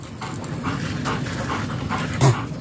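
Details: Panting German Shepherd at a stud session in Nalsian, Manaoag, Pangasinan; soft, airy breaths repeated roughly every half second, with a brief louder low thump near the end.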